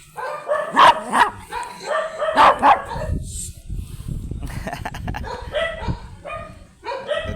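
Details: Angry, matted Shih Tzu barking while being groomed; sharp, harsh barks come in bursts, four loud ones in the first three seconds, then a quieter run of yaps near the end, with grooming and handling noise between.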